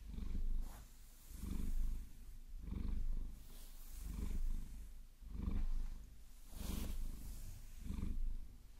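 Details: During a long-nail massage she likes, Vasilisa the Maine Coon gives a rhythmic, deep purr of seven evenly spaced rumbling bursts. Soft scratching and clicking of nails on fur accompany it.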